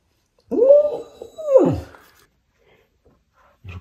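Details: Samoyed dog jealous of another dog wearing a protective collar after an emergency visit, indoors; two drawn-out whining cries, each rising then falling, about a second apart, followed by quiet.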